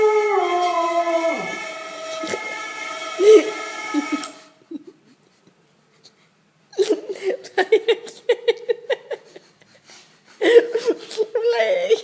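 A Cocker Spaniel lets out a long, tonal howl that slides downward, set off by passing ambulance sirens. After a pause come bursts of shorter, choppy yelps and whines before the howl rises again.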